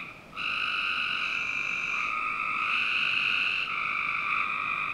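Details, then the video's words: Frogs calling on a summer night in a Northern Virginia home's backyard: steady, overlapping buzzy trills that blend into a near-continuous chorus, with a brief quiet gap at the start and a faint background hiss. "Frog Night 1"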